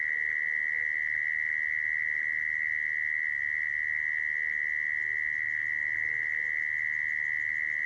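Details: A mole cricket's steady, high-pitched trill runs without a break; this sound is used to lure and trap crickets.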